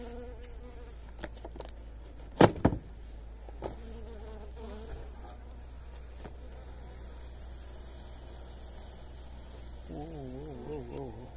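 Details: Honey bees buzz as they are given energy cakes on a pleasant 29 January day: a soft background drone, sharp clicks and knocks near the start, and a close bee passing near the end with a wavering, rising-and-falling whine.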